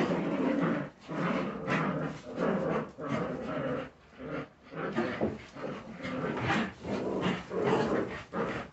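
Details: Several young Jagdterrier puppies growling and grumbling in rhythmic surges roughly once a second, harsh broadband noises rising and falling as the litter plays together.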